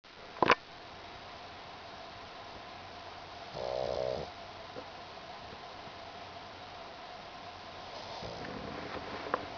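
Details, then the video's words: Pug named Mekabu sleeping and dreaming on a kotatsu futon, tongue flicking and legs paddling; one short snoring breath midway among faint room noise and a couple of sharp clicks. "pug メカブの小いびき"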